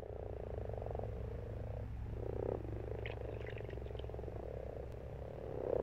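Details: Frogs croaking in a pond in March, a steady low purring chorus with pulsed trills overlapping, a few faint higher chirps near the middle, over constant low background rumble.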